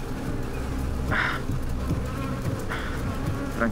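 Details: Many honey bees, described as dangerous bees known to kill people, hum in a dense, low, steady drone at their hive. They grow agitated as a man approaches with smoke and speaks over them, and one later stings him.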